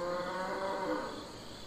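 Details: Domestic cattle on a farm, a loud sustained moo filling the whole short stretch, harmonic-rich and steady before slowly fading.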